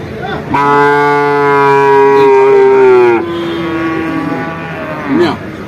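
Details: Bull calf at Vaniyamkulam market giving a long, drawn-out moo of nearly three seconds that slowly falls in pitch and fades into a softer tail, with market noise and a brief voice after it.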